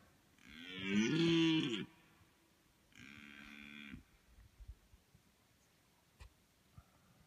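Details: Deer stag calling in an open field in Latvia in the mating season: one powerful, rough, rich-toned bellow lasting about a second and a half, then a shorter, softer, steadier roar, with quiet field ambience between.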